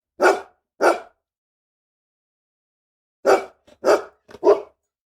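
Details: Angry dog barking: two sharp single barks, a pause of about two seconds, then a quick cluster of three to four harsh barks with small yips between, on a silent background.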